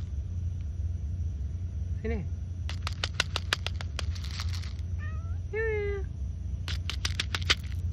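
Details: Cat meowing while being fed: a short rising meow near two seconds, then two tonal meows around five to six seconds. Sharp clicking and tapping sounds run through the clip, along with a woman softly coaxing in Malay.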